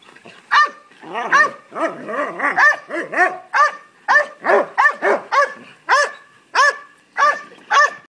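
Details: Belgian Malinois Nash, aged three, barking wildly to get a ball that younger Labrador retrievers are playing with; rapid, overlapping barks early, then clear separate barks spaced under a second apart, strongly harmonic and high-pitched.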